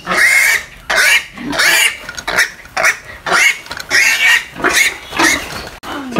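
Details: Two young Duroc-Pietrain breeder piglets from a Filipino pig farm, letting out loud, harsh squeals in separate bursts of about half a second, with short quiet gaps between each cry.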